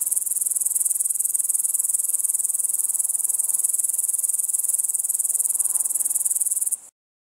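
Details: An upland green bushcricket in Estonia in August 2012 sings a continuous, high, sizzling buzz that runs unbroken until it stops.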